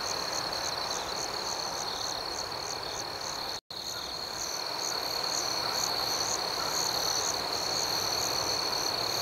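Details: Cricket chorus at night, an unbroken high, rhythmic shimmering of pulsed chirps, briefly cut to silence for a moment partway through before resuming steadily.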